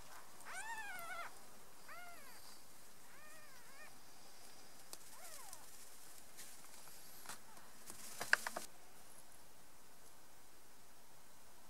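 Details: Squabbling three-day-old kittens, kicking and bickering. A quick series of about four high, arched, harmonic-rich mews opens the recording, then one more mew follows a few seconds later. A sharp rustle comes near the end.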